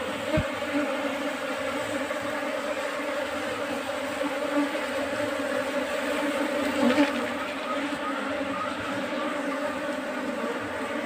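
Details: Bees of a colony newly occupying a trap box used in beekeeping give an even, unbroken drone with a low resonant tone and brighter overtones. The sound rises slightly near the seventh second, then holds steady.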